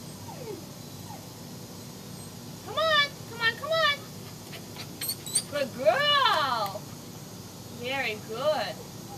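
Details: Samoyeds, named Sara Blue, Iroh and Rigel, kept as pets and running toward a back door, give rising-and-falling harmonic whines and yips in short bursts, with a girl's voice speaking between them.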